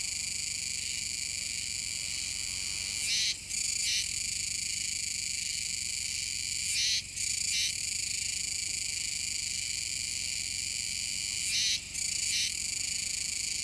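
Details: Kuroiwa's cicadas near the mouth of the Kōme River on Tanegashima, Japan, 7 September 2022. Their high, pulsing drone runs without pause, punctuated by three louder rasping bursts spaced about four seconds apart, each with a brief drop after it.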